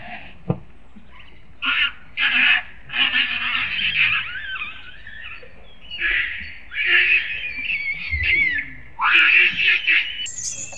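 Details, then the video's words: Lucie, a pet monkey, crying and calling for her mother: long wavering high-pitched wails, several drawn out over a second or more with sliding pitch, in a string of bursts separated by short pauses, faint background noise. "Monkey Lucie Crying Call mom"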